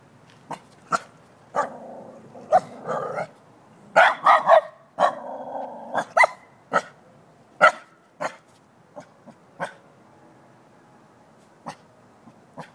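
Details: Shiba Inu barking at a jack-o'-lantern pumpkin: a long run of sharp, loud barks, some in quick pairs, mixed with lower growly sounds between them, then spaced single barks trailing off near the end.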